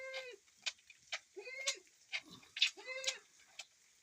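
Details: Goat being milked on a rainy day gives three short, nasal bleats about one and a half seconds apart. Sharp clicks and taps fall between the calls.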